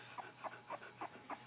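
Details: An 18-day-old Cocker Spaniel puppy calls for its mother, giving short, chick-like squeaks about every quarter second, five in a row, over a faint steady hum.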